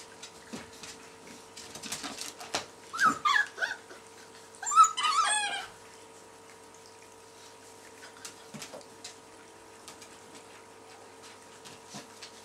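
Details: Puppies from the A-litter at Hondenpaleis, whose mother's milk is blocked, give high, wavering whimpers and yelps in two bursts near three and five seconds, then fall mostly quiet with scattered soft clicks over a steady background hum.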